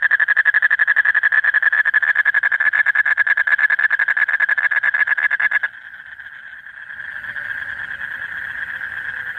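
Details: Late at night in breeding season, a male Asian common toad (Duttaphrynus melanostictus) calls continuously with a fast, even, buzzing trill, its mating call to draw a female near.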